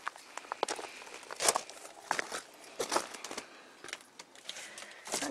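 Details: Indoor rustling and crinkling with scattered footsteps and brief faint speech, in short irregular bursts; no animal voice stands out.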